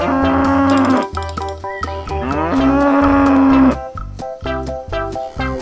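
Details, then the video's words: Cow mooing: two long, steady, level moos, the second longer, each lasting about a second, over loud upbeat background music with plucked and percussive notes throughout. "lovely animal sounds : cat, cow, elephant, giraffe, duck, camel, peacock, parrots"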